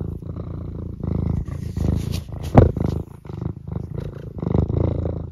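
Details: Close, loud purring from Eric, a pet cat at home on a Sunday morning near feeding time: deep rattling pulses in roughly one-second breathing cycles, with a brief sharp click in the middle.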